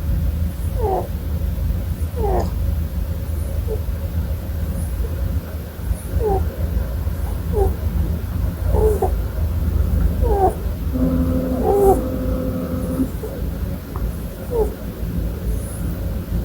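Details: Sleeping pet Holland Lop rabbit snoring indoors: soft squeaky nasal whistles repeated roughly every second over a steady low rumble, with a brief held musical tone midway.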